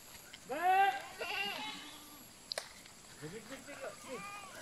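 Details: Goat being called back gives a loud wavering bleat, then a shorter second bleat and fainter bleats later, with a person calling and talking in Malay outdoors.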